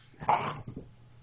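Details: German Shepherd playing rough indoors with another dog: one short, harsh growling bark with a strong midrange burst, then a brief low grunt and a quiet tail.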